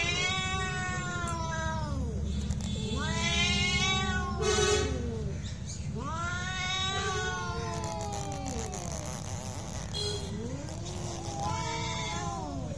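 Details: Cats fighting: long wailing yowls with harmonic stacks that rise and fall, overlapping in drawn-out howls every few seconds over a low steady background rumble.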